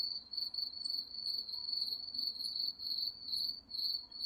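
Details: Crickets at night in the woods: a steady high chirping trill, pulsing about twice a second without pause, with faint higher insect notes above.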